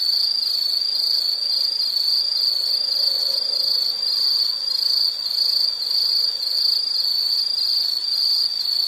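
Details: Dense, unbroken insect trill at high pitch with rapid fine pulsing and even loudness, plus faint higher buzzing layers above it.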